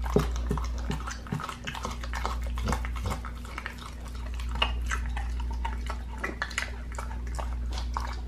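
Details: Pit bull chewing a raw leg of lamb indoors: a dense run of rapid clicking, tearing and crunching sounds, uneven in rhythm, strongest in the opening seconds, over a steady low background hum.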